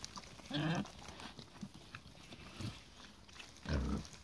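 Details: Mangalica woolly pigs playing football: two short, low grunting bursts, one near the start and one near the end, with softer rustling and faint noises between them.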